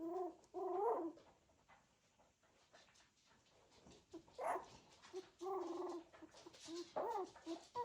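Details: Cocker Spaniel puppies of a litter moving about, giving short high whining squeals in bursts with gaps of quiet rustling between them.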